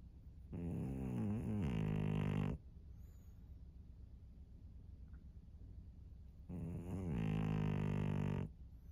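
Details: Two long, rumbling snores from Maria, a fawn female pug aged 13 in Japan, each about two seconds of low, buzzy drone, separated by roughly four seconds of quiet breathing in an indoor room.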